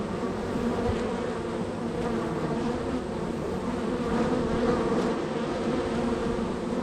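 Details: Honey bees at a hive, the third on a row of hives, extremely active with workers entering and departing; a dense, steady low buzzing hum with layered droning tones and no pauses.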